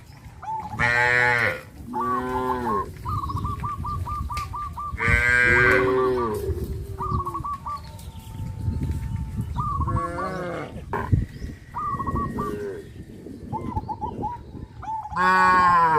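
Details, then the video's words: A herd of cows walking toward the grazing field under a hot sun; several loud, drawn-out harmonic moos at intervals, with a bird's rapid chirping series repeating between the lowing. "A herd of cows walks towards the grazing field under the hot sun,sound of cows"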